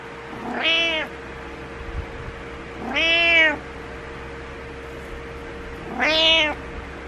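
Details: Butters the cat gives good-morning meows to wake someone up, three drawn-out rising-then-falling meows spaced about three seconds apart, clear and harmonic over a faint steady indoor hum.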